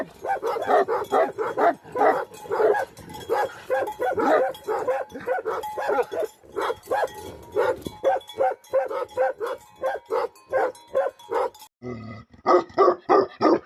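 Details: Nepal's Himalayan guardian dog, the Tibetan Mastiff or Bhote Kukur. A long stretch of steady, throaty barking comes in close repeated clusters, briefly interrupted by a different noise, before the barks resume.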